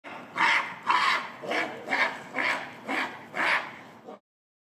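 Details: Nene, the oldest female gorilla, screams while chasing the silverback Shabani in December 2022. She was angry at being interrupted while eating indoors alone during breakfast. Seven harsh, raspy bursts come about two per second and weaken toward the end.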